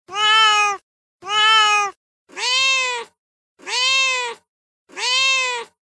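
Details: Angry meowing of a real street cat on a terrace floor: five meows about a second long, the first two flat and strong, the last three arching up then down, quiet room background.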